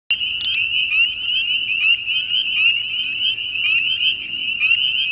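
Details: On a farm in spring, a dense chorus of tiny spring peepers gives countless high, piercing peeps overlapping into a continuous shrill ringing.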